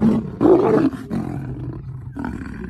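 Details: Lions fighting: a loud, rough roaring burst lasting about half a second, followed by several shorter, lower growling roars and a final harsh snarl, with throaty rumbling throughout.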